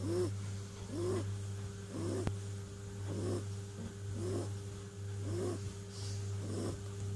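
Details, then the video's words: Snoring from Clint, a kitten fast asleep: raspy, slightly whistling breaths about one per second, some louder than others, set against a continuous low mains-like hum and one sharp click. "Snoring kitten"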